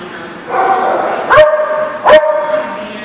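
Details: Dog barking in a recording dated 10/12/18: two short, sharp barks about 0.7 seconds apart, each ending in a brief tonal tail, over a murmur of voices in the background.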